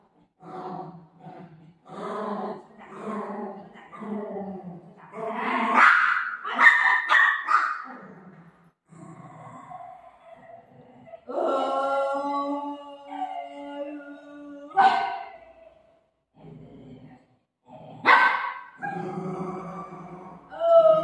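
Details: Golden Retriever playing with its owner, giving short bursts of sharp barks and yips, a loud cluster midway and single barks later, mixed with a woman's playful talking between them.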